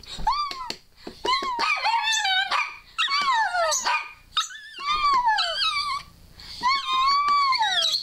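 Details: Scarlett, a female dog kept as a pet, producing speech-like whining meant as "I love you" while someone squeals encouragingly. Rounded, melodic howled syllables come in groups, each falling at the end, with brief quiet breaks indoors.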